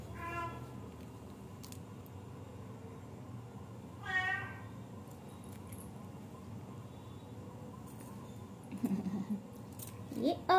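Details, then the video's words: Three kitten brothers with a person cooing to them; a short high mew opens, another comes about four seconds later, then faint low murmurs and a final rising squeak amid soft talk. "Cat Sound || My 3 kitten Babies"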